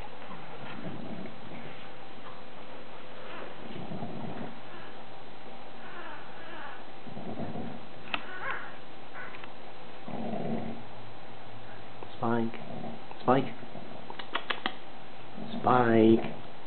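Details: Two male Bulldog pups, hours old, one charcoal blueish and one chocolate, nursing on their mother Molly indoors; mostly quiet with soft shuffling, then a run of short high squeaky whimpers in quick bursts over the last few seconds.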